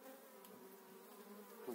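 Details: Spring hive transfer of an eight-frame honey bee colony in 2018: a continuous, even droning hum from the mass of bees, unchanged throughout.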